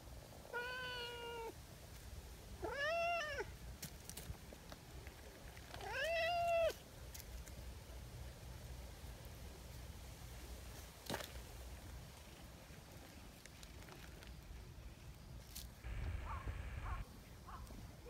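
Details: Nyahha, an affectionate tabby community cat, gives three short, arching meows in the first seven seconds, each rising then falling, with quieter rustling and scattered taps afterwards.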